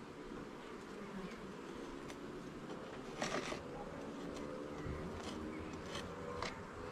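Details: Honey bees buzzing thickly in a garden hive during an inspection of its levels and frames; a rich, steady low drone fills the recording, with a few faint clicks and one louder scrape near the middle.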